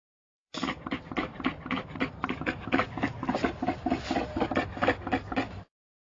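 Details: A wild boar in Aldo Vega gives a steady run of short, rough grunts, about four each second.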